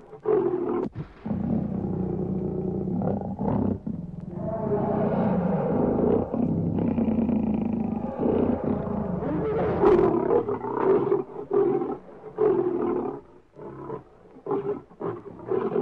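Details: Lion giving long, deep, rumbling roars with strong harmonic banding, sustained for several seconds at a time and broken by short grunts and pauses, growing choppier toward the end.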